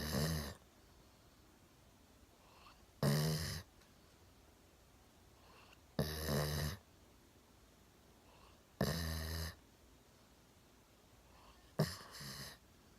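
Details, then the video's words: Sleeping soundly on a sofa with its chin propped on a table, Golden Retriever Milo, aged one, snores steadily; five gravelly, buzzing snores arrive roughly every three seconds, with soft breathing between them in a quiet room. "ゴールデンレトリバー いびきをかいて大爆睡"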